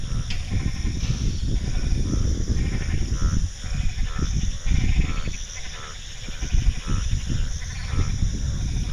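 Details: At Rajendra Agricultural University, Pusa, a dense chorus of frogs gives low, throaty, bleating calls that overlap without pause.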